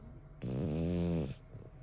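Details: Bon, an 11-year-old French Bulldog kept as a pet, gives one snore lasting just under a second: a low, buzzy, rattling drone rich in harmonics, followed by quiet breathing.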